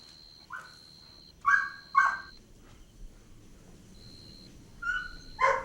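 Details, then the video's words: Playful Golden Retriever puppies on a grassy lawn giving short, squeaky yips and little whines, singly or in pairs with pauses between, over a faint steady high tone and low background hiss. "Adorable Golden Retriever Puppies Playing On Lush Green Grass – Cute Dog Video | Dog Sounds"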